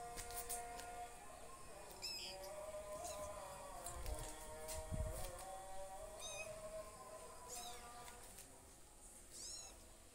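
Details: Two kittens with their mother cat; thin, high mews in short bursts, heard about four times, over steady tonal background sounds resembling music.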